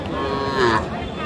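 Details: Friesian heifer calf at Aftabganj market in Dinajpur, Bangladesh, on 10 March, giving a short moo that bends downward, with human voices and market bustle behind it.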